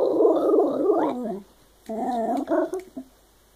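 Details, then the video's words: A Shiba Inu talking: a rolling, growly moan that slides downward, then a brief pause and a second shorter grumble ending in choppy yips. "Shiba talking"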